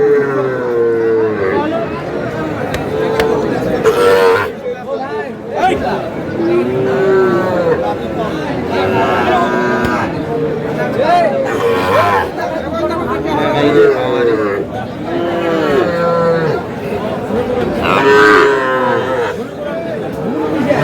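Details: Young Sahiwal bull calf at a cattle market in Chattogram, Bangladesh, mooing again and again in short bellows throughout, amid constant crowd chatter and voices of people bargaining.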